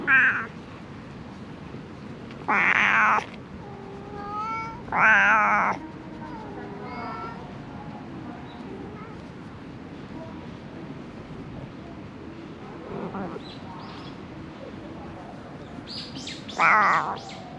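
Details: Strays surviving amid illegally dumped garbage, GoPro HERO8 recording: three loud, long meows in the first six seconds and a softer one between them, then a quiet stretch with faint murmurs, and a final meow near the end.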